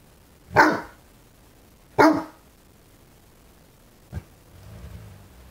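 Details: A 5-month-old male fawnaquin Great Dane puppy, learning to use his voice, gives two hoarse, full-throated barks about a second and a half apart at a new candlestick in the window that he dislikes.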